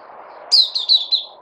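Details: White-eye (puteh) kept and fed a health supplement, recorded 3 August 2020: a short burst of four high, thin chirped notes sliding downward in quick succession over a low steady hum.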